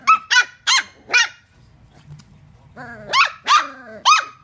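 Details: Dachshund puppies, rescue dogs, playing together: a quick run of four high, yelping barks, a short pause, then three more rising-and-falling yelps, each sharp and bright with a slight falling tail.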